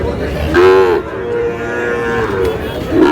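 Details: Sahiwal bull calves at a cattle market where a Narsingdi farmer is buying. A sharp moo is followed by a long, level, sustained lowing tone, then another short moo at the end, with market crowd noise and talk behind.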